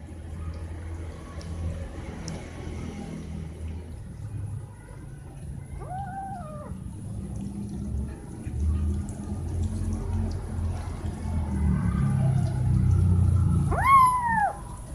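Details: Cat meowing to ask for something such as food or attention: two drawn-out harmonic meows, rising then falling, around six and fourteen seconds, over low rumbling background noise.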